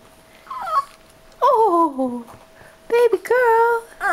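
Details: Indoor dog asking to be lifted up, giving drawn-out whines that slide downward, then a higher, steadier whine near the end, each lasting under a second.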